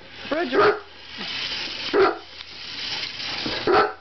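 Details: Chihuahua that loves chasing cars gives three separate sharp barks spaced over a few seconds, one preceded by a rising whine, with a steady background hiss.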